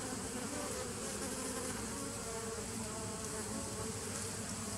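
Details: Bees of a 2017 nuc, 27 September 2018, keep up a loud, even buzz: a dense mix of low droning tones and fizzing higher noise with no pauses across the whole stretch.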